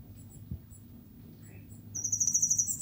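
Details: A queen cicada (cigarra rainha) breaks into a loud, high, pulsing buzz that swells rhythmically after faint, thin chirps.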